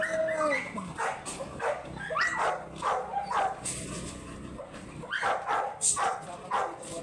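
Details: American Bully from San Jacinto, Pangasinan, in the Philippines, a first-timer in a stud-service setting, gives a drawn-out whine, then short yelping bursts repeated about every half second, with faint human voices and room noise behind.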